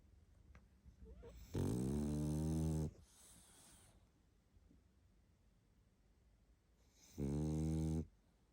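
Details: Tired pug Barney sleeping and snoring: two long, loud, deep rasping snores a few seconds apart, each with stacked low harmonics, separated by soft exhales in a quiet room.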